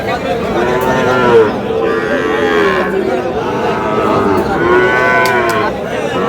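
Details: Sahiwal bull calves at the start of trading at Aftabganj cattle market, Dinajpur, 13 June; a chorus of loud, drawn-out lowing calls rising and fading in overlapping bursts, with crowd noise in the background.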